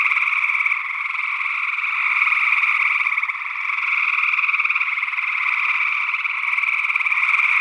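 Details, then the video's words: Chorus of gray tree frogs in Northwest Wisconsin, early June 2022, taped with a matched ORTF pair of small condenser microphones. Overlapping buzzy trills merge into an unbroken wall of sound that swells and dips gently. Another frog species, possibly spring peeper, is mixed in. "Gray Tree Frog Calls"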